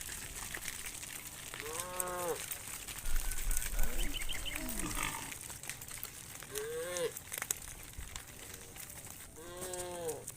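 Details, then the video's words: Hundreds of tame cows returning to a farm pen at evening; several arched, harmonic moos ring out every two to three seconds, some overlapping, over faint bird chirps and steady outdoor background noise. "Hundreds of tame cows return to the farm pen in the evening, funny cow sounds"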